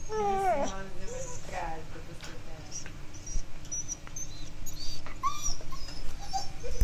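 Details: Alaskan Malamute named Lucy, scared by thunder during a brief summer rain, lets out several sliding, nasal whines, a few seconds apart, against constant low rumbling noise.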